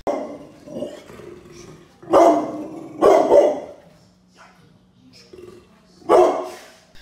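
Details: A Pit Bull Terrier gives loud, harsh barks in short bursts, with quieter muffled sounds between them.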